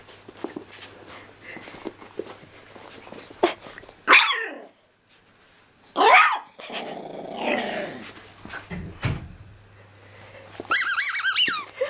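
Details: Danny Boy, a seven-week-old black and white Jack Russell Terrier and pug cross puppy, barking loudly for the first time at a squeaky toy indoors: sharp yappy barks and low growls, with high squeaky-toy squeals near the end.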